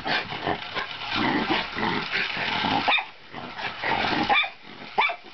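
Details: A Miniature Schnauzer gives sharp, irregular barks with rough, growly noise between them while chasing a toy car.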